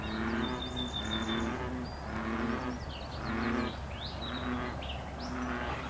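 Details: Deep bullfrog croaks from dense brush next to a riverside trail in semi-desert country, afternoon walk; throaty harmonic bursts repeat roughly every second, with bright bird chirps and whistles and a steady low rumble behind.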